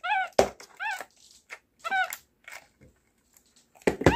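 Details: Young pet capuchin monkey at home making its communicative "talking" sounds: repeated arched, whistle-like squeaks in short bursts, alternating with clicks, indoors with a woman speaking nearby.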